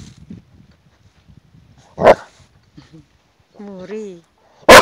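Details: A red Irish Setter giving two sharp, loud single barks about three seconds apart, with a brief wavering whine-like sound between them and soft low murmurs early on.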